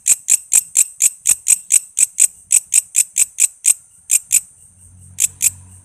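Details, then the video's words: Walang kece katydid, a tutor sound for training shamas, lovebirds, green leafbirds and magpie-robins: sharp high ticking pulses, roughly two per second, with a couple of short pauses near the end and faint low hum. "Suara walang kece gacor buat masteran murai,love bird,cucak ijo,kacer dan burung ocehan lainya"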